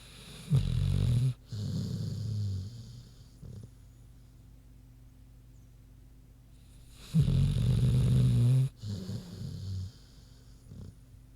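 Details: Queenie the pig snoozing, with deep, rough, low snores in long drawn-out pulls, each about a second long, separated by quiet pauses with small breaths between.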